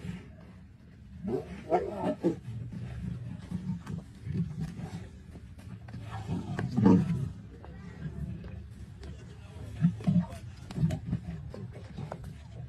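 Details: Masai Mara lions, among them the Black Rock male, battling a buffalo on 6 March 2024; low grumbling roars surge in waves around two, seven and ten seconds while human voices talk over them.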